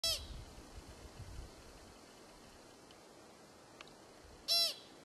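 A pika gives two short, sharp, nasal squeaks several seconds apart.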